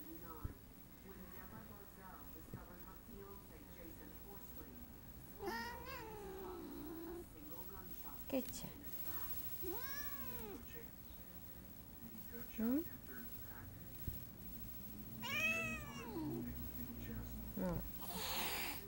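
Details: An affectionate female house cat hisses and growls at her owner. Several short, wavering, arched cries come at irregular intervals among quiet room sounds, clicks and a soft human voice.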